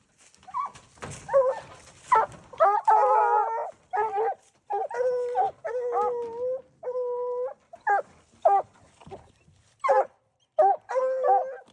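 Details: Raccoon-hunting dog mixing short chopped barks with drawn-out bawling howls held for up to a second, a hoarse, ringing voice in irregular bursts, with a brief rustle near the start.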